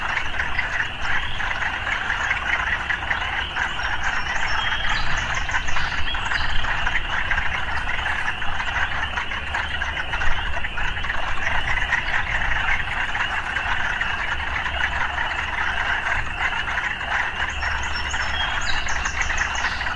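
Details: Urban frogs calling together in a thick, unbroken chorus of rapid rasping croaks, backed by a strong low hum of traffic and a few brief high chirps near the start and end.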